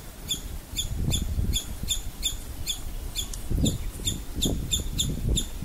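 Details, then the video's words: A female squirrel, frightened by something, gives sharp, high alarm chips in a steady series, about two or three each second. "Alarm call of a Squirrel - Guess who scared her!!"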